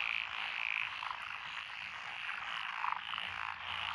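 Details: Mixed frogs calling in lotus paddy fields in Echizen City, Fukui Prefecture, June 2021, including tree frogs and pond frogs: a continuous rasping wall of sound with a few brighter croaks rising above it.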